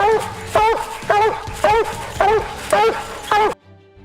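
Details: Black and Tan Coonhound, a hunting breed with a booming, deep voice that echoes like a fog horn through the valleys. Six loud barks with a rise and fall in pitch, repeated about every half second, then it stops abruptly.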